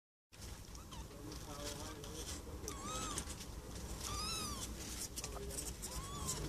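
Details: Four-day-old kittens giving several thin, high mews, each a short arched rise and fall, spaced irregularly over a few seconds against a steady low background rumble and hiss.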